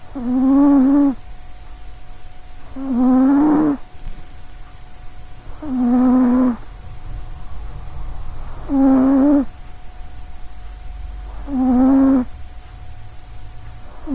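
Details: Loud snoring from Sausagecat, a healthy little-legged female cat sleeping by a close microphone. Five rough, tonal snores come roughly every three seconds, each lasting about a second, with a low constant hum behind them.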